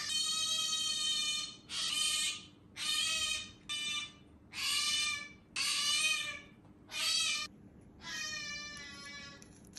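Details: Pet otter, female, kept indoors with a cat, calling while eating chirashizushi; a series of shrill, harmonic-rich squeals in bursts about a second long, repeated roughly once a second with short pauses, and a steady low hum underneath.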